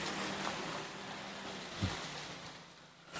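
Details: Quiet broadband hiss with a soft low hum and one brief dull knock partway through; no animal call is heard.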